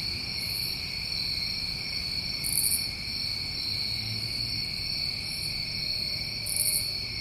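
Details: A chorus of New England crickets in summer: unbroken shrill ringing tones, plus short higher trilled bursts repeating roughly every two seconds.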